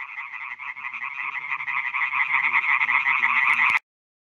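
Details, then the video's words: Night concert of male European tree frogs (Hyla arborea) calling for females at newly created ponds on a meadow in Schleswig-Holstein, 2017. A dense, rattling chorus of overlapping croaks swells steadily, with faint low sounds beneath, then cuts off abruptly. "Rufende Laubfrösche (Hyla arborea)"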